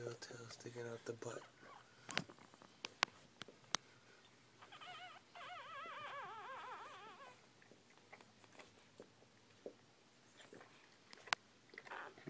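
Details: Newborn Bull Pei puppies, female and about an hour old, indoors; a wavering, warbling squeal rises and falls for about two seconds midway, amid scattered clicks, rustling and faint human voices.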